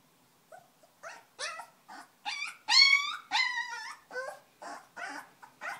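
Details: Three-week-old foster puppies from a litter of ten, born in a shelter to a purebred Belgian Malinois mother and a purebred Belgian Groenendael father, drifting off to sleep: high, wavering whimpers and squeals with rich overtones, roughly one every half second.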